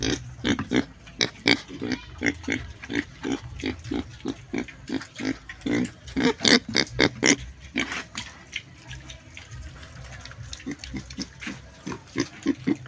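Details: Pig grunting in short, clipped bursts at roughly eighty per minute, loud and steady for the first eight seconds, then briefly quieter before softer grunts resume.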